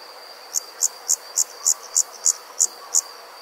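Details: On a summer night in the countryside, bright, short, clipped insect chirps repeat about three times a second over a continuous thin, high whine from other insects calling together.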